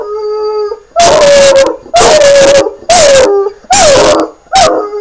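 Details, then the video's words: Young dog called Sirius starts with a sustained howl, then breaks into loud bark-howls: five harsh, sliding yowls roughly once a second, each dipping in pitch. "howlin pup-a-lup"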